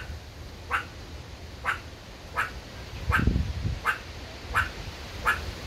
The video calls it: A Meerkat Barking